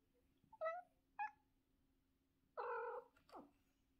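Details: Domestic cat in the morning giving short meows, two brief high calls followed by a longer wavering meow and a falling final meow, against a steady low indoor hum.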